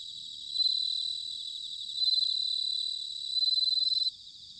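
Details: Bell crickets in autumn at Sanuki, Chiba, Japan, recorded with ZOOM H6 and TASCAM DR-05X: a bright, high ringing trill repeated three times, each phrase swelling then stopping abruptly, with a faint chirping chorus between.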